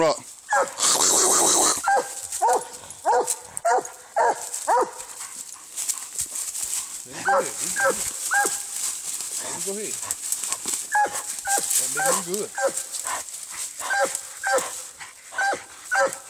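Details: Treeing Walker Coonhound fighting a raccoon: a long run of hoarse, falling barks and yelps, roughly two per second with uneven spacing, after an opening burst of harsh scuffling noise.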